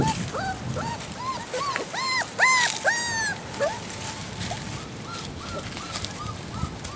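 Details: Great Dane puppies on only their second time outdoors, with their mother, among leaves and straw over a winter vegetable bed. Several crying at once: rapid, arched, rising-then-falling whimpers, overlapping and repeated, louder in the middle, then softer.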